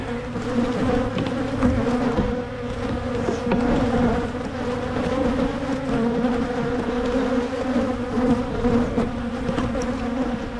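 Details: Colony of honey bees in Michigan, hives opened for splitting to reduce swarming; a rich, continuous buzz with two steady tones, gently pulsing in volume, with faint scrapes and taps.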